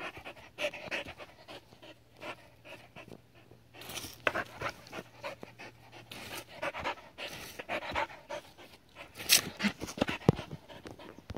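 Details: A seven-year-old Border Collie named Adaike Polední kámen having fun with water, breathing in quick airy pants between splashes, with a louder burst of noise near the end.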